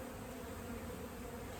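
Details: A swarm of agitated honey bees inside the siding of a house during removal of their 15-year-old hive. Dense, even, low-pitched droning with no breaks, like a constant hum.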